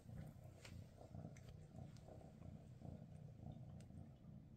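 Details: Maine Coon mother cat with her kittens on their last day together before they move to new homes, purring: continuous deep rumbling purr in steady pulses, loud and close, with faint clicks above.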